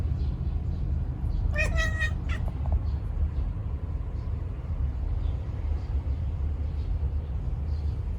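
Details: Male rescued tabby-and-white house cat chattering while watching birds and a cicada: a brief stuttering burst of clipped, pulsed chirps early on, then only low steady background hum.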